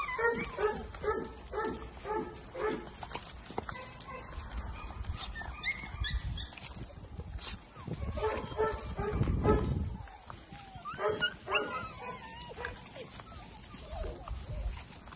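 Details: A litter of English Springer Spaniel puppies, close to two months old, playing. A quick run of sharp, harmonic yips opens, then scattered squeaks and a low rumbling thump midway.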